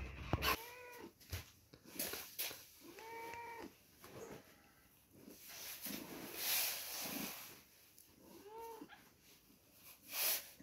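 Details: Two-week-old kittens at milk time: three arched, harmonic meows that rise then fall, spaced a few seconds apart, among handling clicks, rustling and soft background noise.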